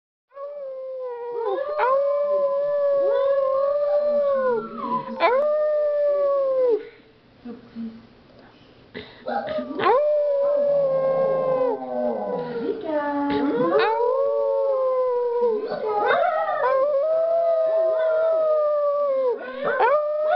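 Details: Several pet dogs howling indoors after two people set them off: long steady wavering howls with rich overtones, overlapping voices, sharp yelping breaks, a brief quieter pause midway, and human voices mixed in.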